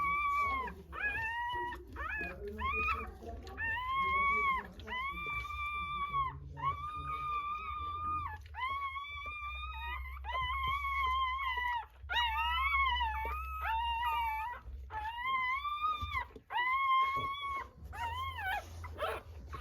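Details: Newborn Rottweiler puppies just after a natural birth, giving loud, even, flat-topped squeals in a steady series, one every second or so, rich in overtones, over a constant low hum.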